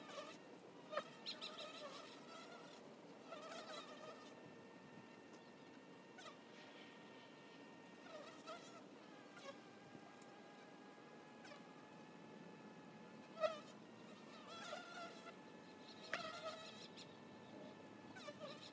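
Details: Honey bees droning at the hive entrance, a continuous harmonic hum with repeated wavering flyby whines rising and fading as bees come and go.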